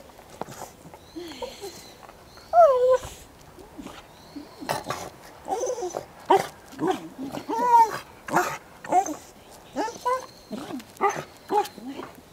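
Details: Welsh Corgi Goro, usually calm, lets out a rapid string of high whining yelps that bend up and down, growing louder and more insistent, with brief human voices mixed in; recorded 19 January 2013.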